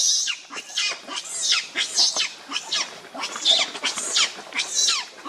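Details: Baby monkey Leo, very hungry, wails at its mother for milk: rapid rasping screeches in quick succession, high and grating, rising and falling with little pause between cries.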